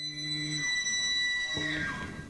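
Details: A Roosevelt elk bugles during the autumn rutting season in the foothills of Mount Rainier at Northwest Trek Wildlife Park, a high eerie whistle over a low growling undertone, then sliding downward.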